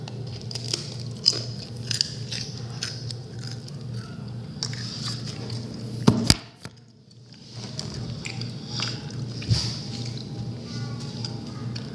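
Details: Crunching and crackling noises over a low indoor hum, with no animal voice. A brief sharp knock and a moment of near silence break the steady background.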